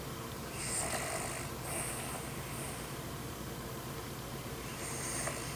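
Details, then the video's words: Soft, raspy snores from a sleeping dog, breathy bursts returning about once a second before a pause and one more faint snort-like breath, over a low steady background hum. "Собака храпит"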